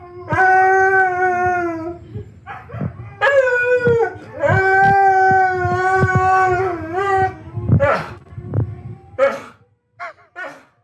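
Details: Siberian husky at home howling along with videos of howling dogs projected on a wall. Long, sustained, tonal howls waver and slide in pitch, with short breaks between them. Clicks are audible, and the howling ends in brief yelping bursts.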